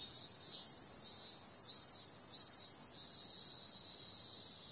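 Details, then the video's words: Summer-night cicadas producing a bright, hissing high drone broken by regular louder pulses roughly every half second, ending in a sustained even buzz. "Cicada sound"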